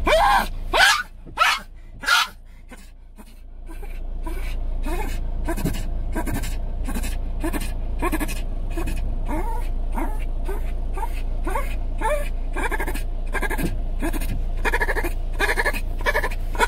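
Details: Elderly Shih Tzu, 17 years old with dementia, restless at night indoors: a few loud barks at the start, then a long series of short, rising whiny yelps repeated roughly twice a second over a constant low hum.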